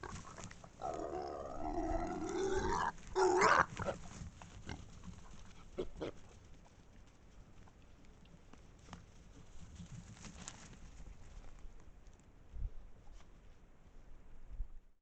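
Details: Pack of wild boars caught by a trail camera in Estonia: loud wavering, harmonic squeals for about three seconds near the start, then quieter scattered clicks and rustles with occasional faint low thumps.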